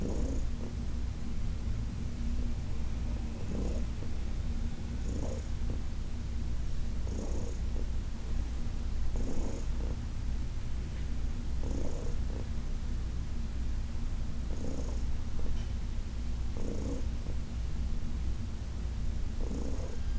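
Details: Deep, even purring from Heidi, an older cat who spent ten years at the Humane Society of New York City, during a massage session; soft brushing noises recur roughly every two seconds over the constant rumble.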